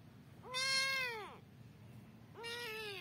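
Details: Domestic cats fighting: two long, harmonic yowls. The first arches upward and then sags downward over most of a second. After a short pause a second wail rises and holds steady. Light background hiss.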